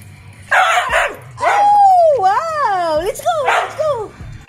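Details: Siberian husky singing along to Happy Birthday with a long, wavering howl that rises and falls in pitch, between bursts of human singing.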